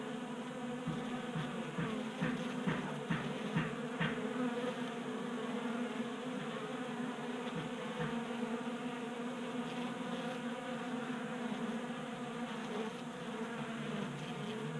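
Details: Buzzing of many honey bees at a 3D-printed feeder in a garage, Colorado, during unseasonal January warmth; a full, even hum with occasional short rises as bees zip past close by.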